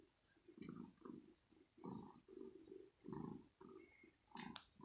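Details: Kitten Rosetta, female, inside her scratching house in the morning, teased with a finger, nervous yet playful: low rough growling bursts, about one each second, with faint higher squeaks between them.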